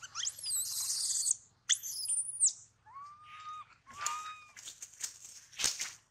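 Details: Baby monkey bitten on the leg by a large male, the leg nearly severed: shrill, harmonic screams sweeping high in two long bursts, then shorter whistled tones and sharp squeaks with scattered rustling.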